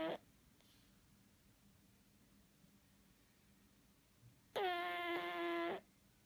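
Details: A sleeping pug snores indoors: after a quiet stretch, one loud, steady, nasal, tonal snore lasts about a second near the end, preceded by a brief faint sound at the start.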